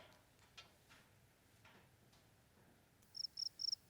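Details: Field cricket calling with pulsed units made by rubbing the wings, sound produced as the wing closes; after near silence, four quick, high-pitched pulsed chirps follow in a regular, rapid series.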